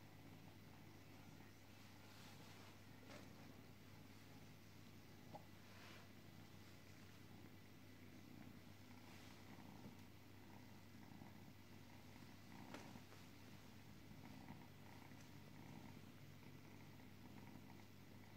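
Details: Sleepy domestic cat purring indoors: a faint, steady, low rumbling drone that runs unbroken for the whole stretch, with a few soft clicks and rustles above it.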